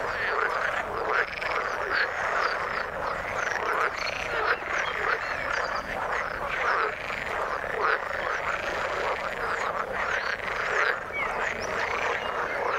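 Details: Frogs in the water forming a steady chorus: many overlapping rough croaks and quick chirps pulsing continuously throughout.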